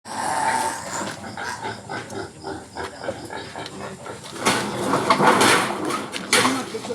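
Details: Wild pigs inside a house giving harsh, noisy grunts and snorts in irregular bursts, loudest between four and a half and five and a half seconds and again near six seconds, with faint human voices underneath.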